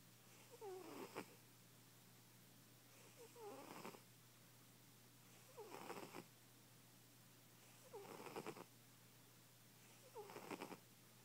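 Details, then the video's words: A fat domestic cat snoring loudly in its sleep indoors. Raspy breaths come about every two and a half seconds, each ending in a whistly, wavering tone with a noisy rush. Quiet gaps separate the breaths. "Loud ass snoring kitty"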